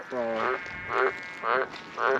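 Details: A White's tree frog calls from the bank of a small pond in Australia before a storm, giving deep, hoarse croaks repeated about every half second.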